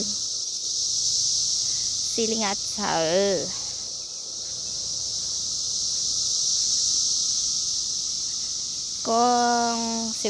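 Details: Cicadas out during their 2021 emergence year, a steady, high-pitched droning chorus running unbroken through the whole recording, with a human voice speaking briefly twice over it.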